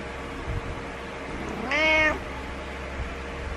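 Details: A single rising-then-falling harmonic meow from Butters, a house cat who meows every morning until his owner gets up because he doesn't like being alone; faint background hum.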